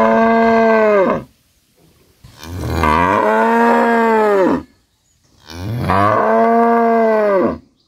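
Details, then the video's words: Cow giving three loud, sustained moos, each a full second or more with strong harmonics that dip slightly at the end, separated by brief quiet gaps. "Gay Ki Awaaz, Cow Sounds Loud"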